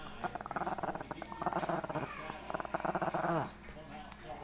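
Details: Chihuahua making a grumbling, pulsing growl-whine of rapid rhythmic bursts that slides down in pitch near the end, then fades into quiet room noise.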